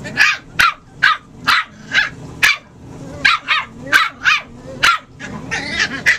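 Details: Puppies at play, giving a rapid run of high, sharp yipping barks about two each second, bright and slightly irregular, with a low steady hum underneath.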